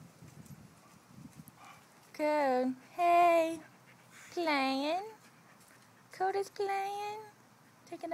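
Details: Dogs Koda and Ani playing with Jake, their new baby brother, give five drawn-out, wavering, whine-like yowls and barks within about five seconds. Between the calls a person speaks to the dogs about playing.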